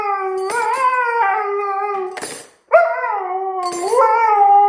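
A Siberian Husky gives a sustained, wavering howl that slides up and down in pitch, pausing briefly before starting again. Sharp metallic clinks of cutlery ring out between and over the howls.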